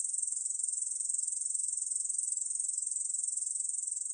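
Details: Unbroken shrill buzzing song of a Korean bush cricket, from a 2020 National Institute of Biological Resources recording; quick pulses follow one another evenly at a high pitch, with no background noise.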